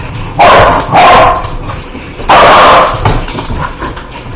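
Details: Barking at spiders, a spider-hating dog lets out two quick sharp barks, a short pause, then a longer, louder bark, with faint household noise between.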